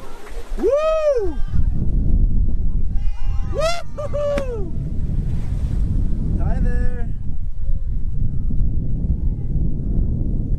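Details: Whale calling over a deep, steady rumble of water noise: arched, harmonic-rich moans that rise and fall, a cluster of them early on and a shorter, higher series later, then only background roar.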